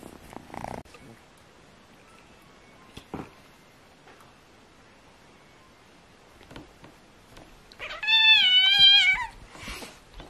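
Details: Kittens play-fighting to decide which is strongest; mostly quiet rustling and thumps, then near the end a loud drawn-out wavering meow lasting about a second.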